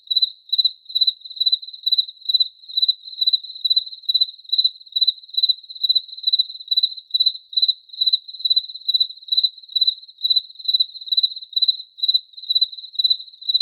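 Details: Steady cricket chirps, high and thin, each a quick burst of pulses, repeating roughly twice per second throughout with even loudness and no other sounds.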